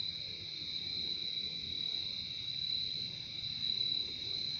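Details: Crickets heard in a calming outdoor recording, producing an even, continuous high-pitched trill with a softer lower band, accompanied by a slightly stronger low rumbling background.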